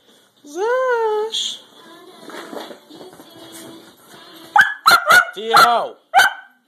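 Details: Puppy that likes to run around and bark: a rising-falling high yowl, a person's voice talking, then a fast run of four sharp high barks with a final bark near the end.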